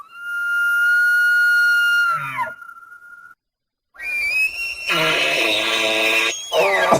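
An elk gives a long, steady, high whistle that breaks off. After a pause comes a rougher, screaming call with rising whistled tones.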